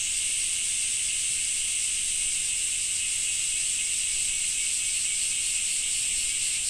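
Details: Cicadas in Japan in summer drone in a steady, high, hissing buzz that never pauses.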